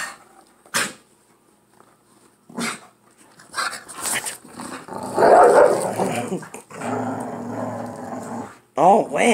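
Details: Pit bull pair playing tug over a dog toy. Scattered short snorts come first, then a long stretch of rough, continuous growling. A woman talks and exclaims throughout, and a whiny, wavering sound comes at the end.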